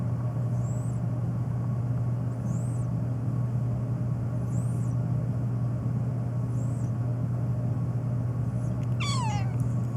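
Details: A black domestic cat meowing persistently, especially toward sneezes; one falling, wavering meow arrives near the end, preceded by faint high chirps and a steady low hum throughout.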